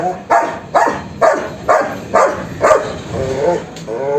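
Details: German Shepherd barking in a quick series of harsh, harmonic barks, about seven in four seconds, each a short burst, the later ones slightly more drawn out, with quiet background noise between them.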